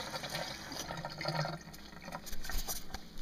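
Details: Running water splashes and trickles as a tap fills a sink in a small indoor room, with no animal voice heard.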